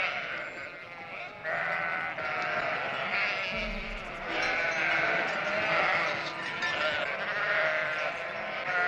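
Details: Sheep flock calling: wavering bleats start softer and grow fuller, with many voices overlapping in a constant chorus and faint calm music beneath.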